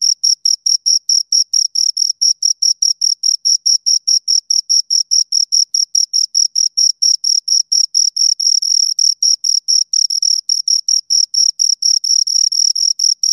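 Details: Two crickets chirping steadily: rapid, high-pitched scraping pulses repeated several times per second without pause, each a clean shrill tone with a fainter higher overtone, on a silent background.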